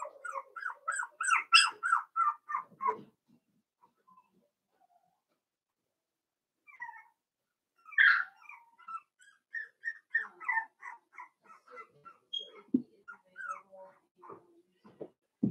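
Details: Four-week-old Cavalier King Charles Spaniel puppies from Daisy's litter in their pen. Rapid runs of high, whimpering squeals, about three per second, come in a burst over the first three seconds. A second stretch of squeals follows from about eight seconds on.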